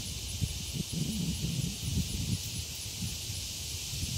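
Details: Summer song of annual cicadas, loud yet lacking the echoey scream of periodical Brood X, taken with a camera microphone as traffic paused; an unbroken high hiss runs throughout while low rustling murmurs underneath.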